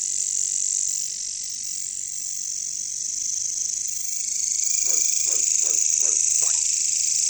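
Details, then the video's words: Jungle katydid chorus, the bush crickets called caricangkas: a continuous high shrill hiss fills the background while a run of five low, quick frog-like croaks breaks in near the end. "bunyi caricangkas katydids bush crickets"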